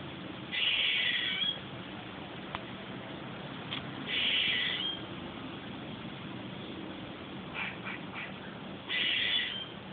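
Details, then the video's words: Squirrel giving odd calls: three harsh, buzzy, raspy bursts of about a second each, a few seconds apart, with a few faint short clicks in between. "Weird squirrel sounds!"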